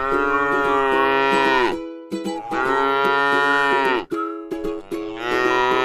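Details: In a rice field, a tame grass-eating cow calls with two sustained, flat moos and starts a third, each strong and rich in overtones, over a quiet bed of plucked music.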